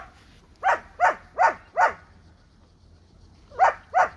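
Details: Rottweiler mother feeding milk to a puppy: short, sharp barks, four in quick succession about every third of a second, a pause, then two more.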